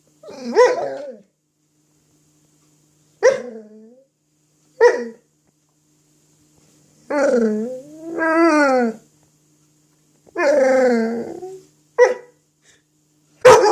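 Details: Dog playing with an apple indoors: a run of harmonic whining growls and yelps, some rising then falling, several drawn out about a second, spaced by short silences, with a sharp final click.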